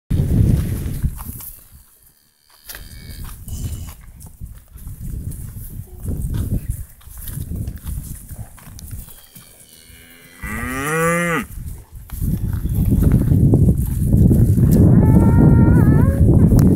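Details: Ranch cows: deep, low moos and rumbling lows fill most of the recording, with a brief higher, wavering bleat-like call near the middle and another tonal call toward the end, outdoors.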